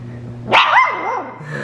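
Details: Three-week-old Fox Red Labrador Retriever puppies finding their bark in a living room yelling contest: one sharp, loud yelping bark that bends downward into a wavering, fading whine, over a steady low indoor hum.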